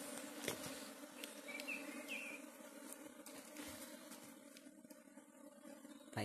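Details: Honey bees buzzing in Barangay Santa Rosa, Maasin City, a soft continuous hum with steady layered tones, scattered faint clicks and taps, and a brief higher whistle-like sound in the background.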